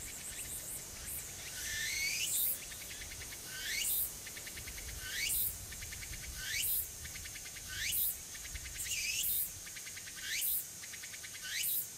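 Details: Tsukutsuku-boshi cicada singing on an early autumn afternoon, 6 September 2022, at Furuta Magarikawa, Nishinoomote, Tanegashima, Japan; high buzzy rising sweeps over a steady shrill hum, repeated roughly every one and a half seconds.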